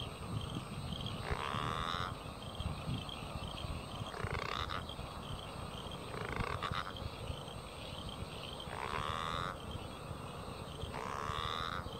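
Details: Southern bell frog (Litoria raniformis), Murray Valley, South Australia, a widespread but declining species: its mating call to attract a mate is a rasping growl repeated every two to three seconds.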